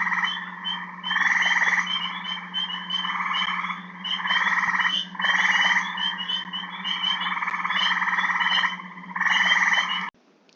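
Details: A male eastern gray tree frog in Michigan gives its spring breeding call, slow, long, melodic trills, over a dense chorus of spring peepers.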